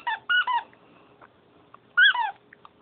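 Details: Dog named Sugar, up past bedtime and wanting to play, gives a quick pair of squealing whines, then a pause before another sliding, wavering whine near the end.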